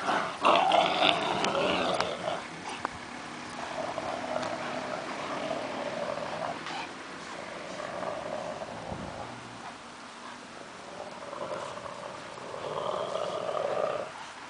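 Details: Two purebred Rottweilers at play, with softer rumbling growls and snarls coming in uneven bursts, loudest at the start and quieter later, with some clattering movement sounds.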